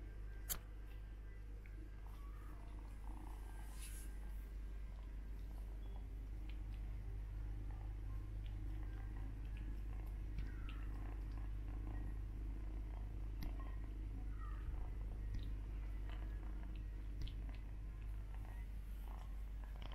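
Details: Two white Persian kittens suckle from their brother as though he were their mother. A steady, low, rumbling purr runs through the whole stretch, with faint soft clicks and rustling above it in a small indoor room.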